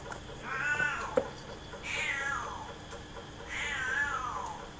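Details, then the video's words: Big and small domestic cats playing together in a front-yard cage: three drawn-out meows, each a harmonic-rich cry that arches and slides downward, spaced about one and a half seconds apart, with a faint steady hum behind. "Now my big and small cats are playing in the cage"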